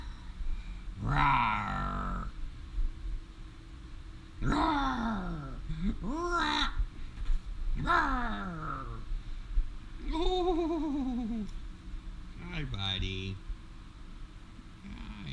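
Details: Loki, a pet red fox, playing and running around a house, gives a series of separate harmonic whining, gekkering calls, each rising then falling, spaced a few seconds apart, with low household rumble beneath.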